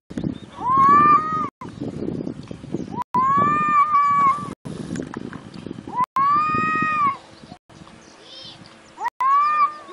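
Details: A domestic cat meows repeatedly, four long, steady, whining meows spaced roughly every three seconds, with a low rumbling background and brief soft noises between calls.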